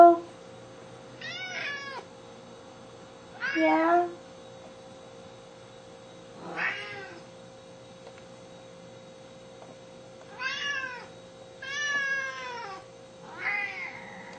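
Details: Indoor pair of hungry Siamese cats, Pharaoh and Athena, begging before dry food is served: six separate sharp, rising-then-falling meows spaced a couple of seconds apart over a quiet room hum.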